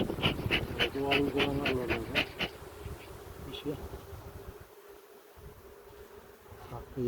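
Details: Honey bees at a hive during a queen check after honey harvesting, in a village near Ceyhan: a low, steady droning hum runs through the clip, with a voice and sharp tapping clicks in the opening seconds.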